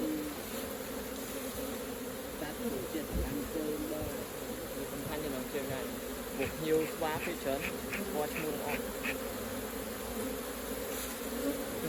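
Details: Low, even drone of many honey bees at the hive during honey harvesting, with a muffled thump, murmured speech and a run of quick rhythmic clicks in the second half.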